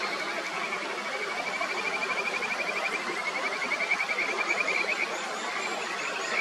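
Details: In the upper Natori River, Miyagi, Japan, a Kajika frog gives a fast, pulsing trill of bright notes over a rushing mountain stream. One frog persistently tries to push another off its favourite stone in a territorial dispute, then gives up and leaves.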